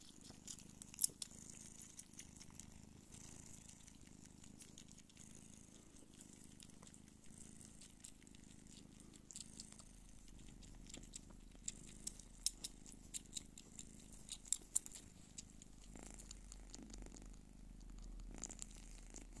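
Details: A Don Sphynx mother cat nursing her kittens purrs in a low, steady rumble, with soft clicks and rustles close by.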